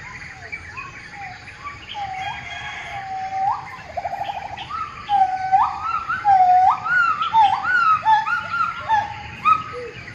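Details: A gibbon in a tree gives a run of rising, swooping hoots that repeat faster and grow louder, each note sliding upward and ending in a bright peak, with a faint insect drone underneath.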